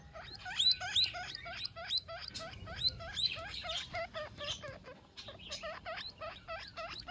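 A baby guinea pig calls its mother with rapid, high-pitched squeaks repeated several times a second.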